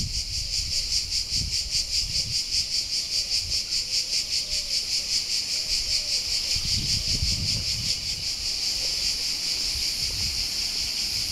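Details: Cicada chorus at Alberese, Italy, a shrill high buzz pulsing rapidly and evenly, about two and a half beats per second, with faint low rustling and soft thuds beneath.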